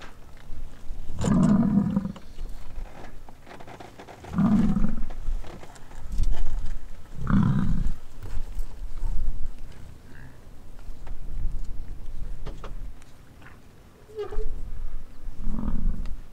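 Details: American bison roaring or growling during the rut on a ranch in Wright, Wyoming: deep, drawn-out bellowing roars about every three seconds, each lasting around a second, followed by quieter low grunts and rumbles outdoors.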